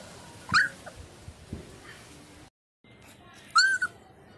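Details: Chippiparai puppy in Thiruvarur gives two short, high, thin whimpers, the second a brief rising-then-falling whine, separated by quiet background and faint soft noises.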